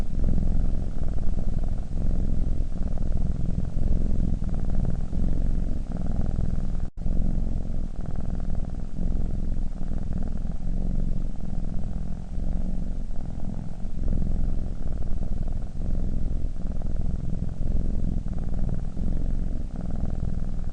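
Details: A sleeping cat snoring: a low, continuous rumble with a steady rhythmic pulsing, all energy concentrated in the deep range, broken by one brief cut near seven seconds before the same even breathing rhythm resumes.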